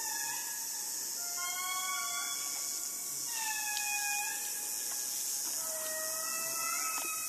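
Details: Indris, the largest lemurs, in Madagascar: several long wailing notes overlap, each a sustained tone gliding slightly up or down, with bright harmonics stacked above, forming a steady chorus over a constant high-pitched hiss of insects.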